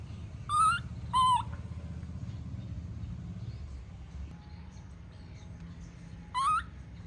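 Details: Tantrum of a baby monkey left by its mother: two quick wavering, whining cries in succession, then a pause and a third upward-bending wail, each rich in harmonics, over a low murmuring background.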